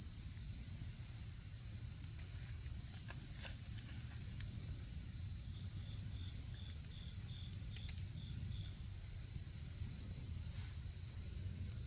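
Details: Insects calling in autumn beside a crackling campfire on a camping outing: a constant shrill high trill, joined midway by a second caller giving a short run of evenly spaced pulses, over fire pops and a low steady rumble.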